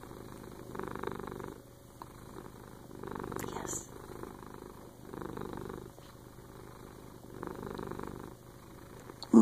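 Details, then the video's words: Domestic cat purring while snuggling with its owner indoors; a low, steady rumbling purr that swells and fades in rhythmic breaths roughly every 1.5 seconds, with a soft background hiss. "Cat Purrs Are AWESOME!"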